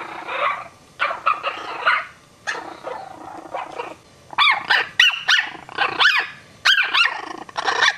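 Young Chihuahuas let out a run of shrill, thin barks, each one a sharp rising-and-falling yap. The barks come in quick, uneven bursts, mixed with softer whiny yips.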